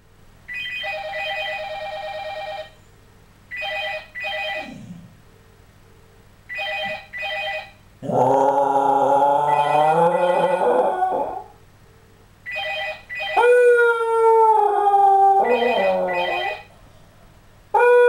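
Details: A Scottish Terrier answers a ringing telephone with long, wavering, wolf-like howls that rise and slide in pitch.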